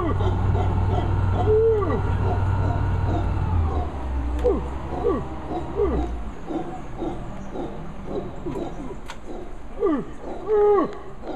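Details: A large male howler monkey gives deep, hoarse, repeated roaring howls by the Sarapiquí River in Costa Rica's lowland tropical rainforest. A low boat-tour motor hum and voices sound underneath.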